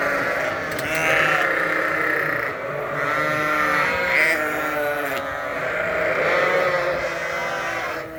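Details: Flock of hungry sheep held indoors during a winter blast, screaming for food at feeding time; loud overlapping quavering bleats from many animals, rising and falling, with a few sharper high cries over the din.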